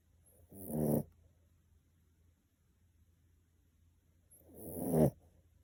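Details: Miniature Pinscher asleep, giving two rasping snores roughly four seconds apart, the second building gradually to a louder rattling peak, over a steady low background hum.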